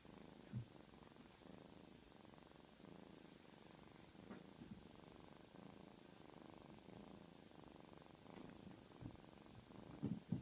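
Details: Young black kitten purring steadily, a deep throbbing rumble pulsing with its breathing, interrupted by a few short taps or rustles at the start and close.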